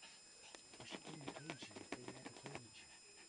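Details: Chihuahua mother Sweet Pea in labour with her second of three puppies. Soft, short dog whimpers and panting rise and fall amid low human voices, with a brief thin whine near the middle.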